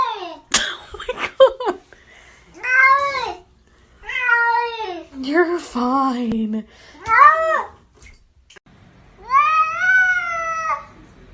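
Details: House cats talking with a string of arched, nasal meows, short and long, rising then dropping in pitch, spaced about a second apart, with a low drawn-out moan in the middle, inside a small room.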